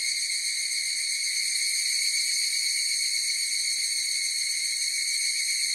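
Many evening cicadas sing together, their calls merging into a continuous, metallic ringing with a bright tonal quality. The sound holds steady without pause, high-pitched and shimmering, with nothing else clearly heard beneath it.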